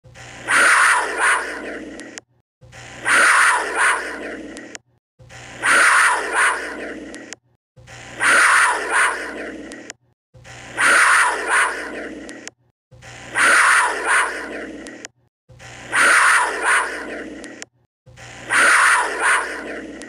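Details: Cougar (Puma concolor) giving a harsh, rasping scream, repeated identically about every two and a half seconds.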